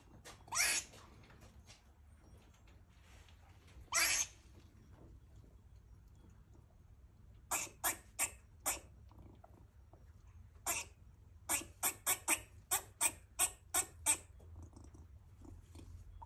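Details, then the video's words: Female rescue squirrel in heat, kept as a pet, giving mating calls and barks while eating: two harsh noisy bursts, then a run of short broadband chucks in quick irregular series, quiet indoor room. "Squirrel Mating Call and Barking (Female)"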